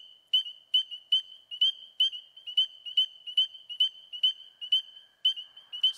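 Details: A single spring peeper at a vernal pool in the eastern US in spring, just beginning to call, gives piercing high whistled peeps a little over twice per second, with American toads trilling in the background.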